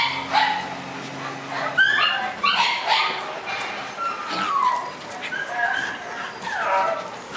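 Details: Six-month-old black Shiba Inu puppies playing outdoors: high whimpering whines and short yips, several rising and falling cries scattered through, with soft background noise.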